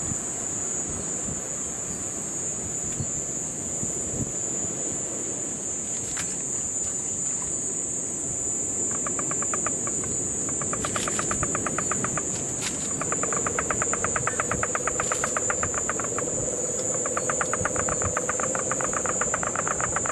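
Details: Puerto Rican crested toad in Guánica Dry Forest, Puerto Rico, during September 2007 rains; bursts of quick rattling pulses appear midway and grow steadier, over a low continuous trill from a cane toad and a constant high insect hum.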